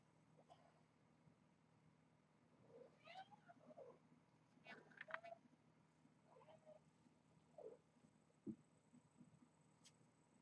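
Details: Kittens at Purrfect Pals, hungry and playing before breakfast and eager to reach their food plate, give a run of high, wavering mews, several overlapping in quick succession, amid soft bumps and steady low hum.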